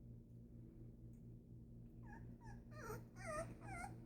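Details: Presa Canario puppies born 25 October 2019, in Ecuador, indoors. After two quiet seconds come short, high whimpering yelps with bent, falling pitch, a few at first, then a quicker cluster near the end, over a steady low hum.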